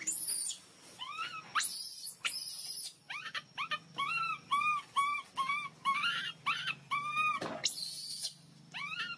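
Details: Loud cries from a hungry baby monkey asking for milk: rapid repeated rising-then-falling squeaky wails, roughly two per second, broken by several harsh noisy screeches, with a quiet hum in the background.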